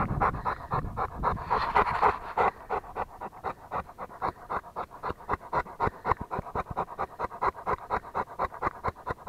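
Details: Rottweiler panting hard. The short, breathy puffs come in a steady, rapid rhythm of about four per second and continue through the whole stretch, with a brief rustling burst near the start.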